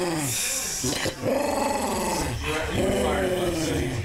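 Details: A dog gives a long, rumbling growl that rises and falls in waves while being petted with a head rub, a person speaking nearby.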